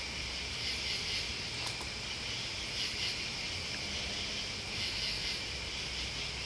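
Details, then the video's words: Crickets and bugs fill the air with an even, high buzzing trill. Brief bursts of very high pulsing recur every couple of seconds, with a faint tick and low background rumble. "Listening to Crickets and Bugs"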